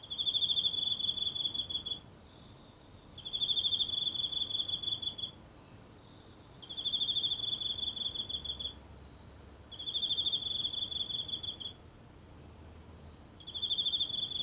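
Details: A single insect calling from a small home garden's grass at night in Japan, recorded closely with a phone: high pulsing trills of about two seconds, repeated regularly with similar pauses, in otherwise still surroundings.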